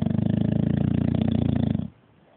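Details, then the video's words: Bulldog snoring in its sleep, a loud, deep, vibrating rattle with fast regular pulses for almost two seconds that stops abruptly into near silence. "Bulldog snoring"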